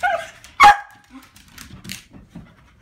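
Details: Corgis greeting their owner as he arrives home, about to go out: one gives a sharp, loud bark after a brief high whine, while a person talks softly.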